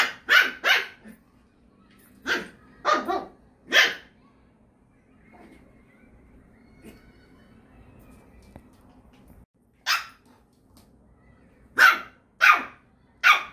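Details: Indoors, with leashed Dory playing beside the very tolerant Iruma, a poodle barks in sharp quick bursts. Five barks come early, a long quiet stretch of room noise follows, then another volley of four high, harsh barks.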